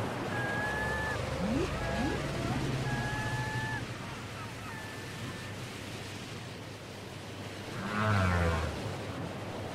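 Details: Whale song from a cassette recording: long steady whistled tones near the upper range alternate with short rising sweeps and wavering notes, then a low groaning swoop at the end, over constant ocean-like hiss and rumble.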